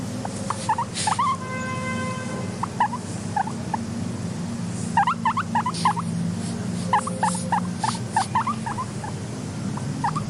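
A guinea pig gives quick bursts of short squeaky chirps and a brief held squeal over a low hum.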